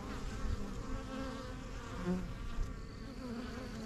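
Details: Bees crowding the entrance of a yellow backyard hive, the strongest of a first set of hives begun in spring 2023. Continuous low humming swells and dips, with individual bees droning past.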